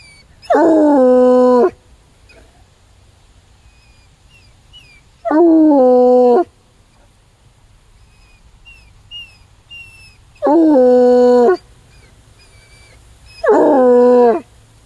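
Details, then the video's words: A coonhound gives loud, drawn-out howls, each about a second long, with quiet pauses between. "Hound Dog Howling"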